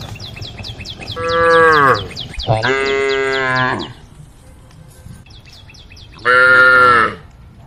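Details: A cow calling her tame herd on a forest road gives three moos, two back to back and a brighter, higher-sounding one after a pause. High chirping repeats quickly throughout.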